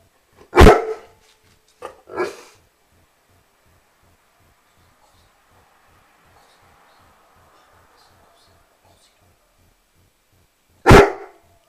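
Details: A Rhodesian Ridgeback barks once loudly, follows with a quieter double bark, then a long quiet stretch with a faint murmur before one final loud bark near the end.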